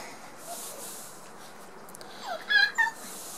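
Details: Six-week-old Border Collie puppies, the litter of Hada and Wind, playing together; after near silence, two short, high, thin squeaks close together near the end over a steady soft hiss.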